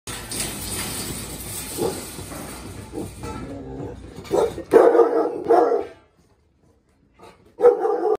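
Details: A pack of three Rottweilers facing off against a Pitweiler gives loud, rough barks in short bursts over a lower rumbling background.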